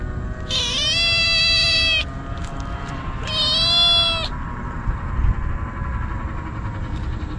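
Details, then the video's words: Stray kitten crying out nonstop while wolfing down cat treats: two loud, strained, buzzy meows of about one and a half and one second, followed by quieter eating noises and low background rumble. "かわいい子猫 とにかく必死で鳴き叫び続ける 野良猫"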